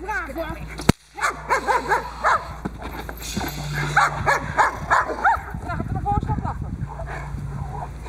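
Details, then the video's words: Boxer working dog Diesel v. Ons Hullekke in protection training, its third time on the table doing bite work; a burst of rough, harmonic barks roughly three per second after a sharp bang, with people talking underneath. "Diesel v. Ons Hullekke boxer protection 3e x op tafel pakwerk"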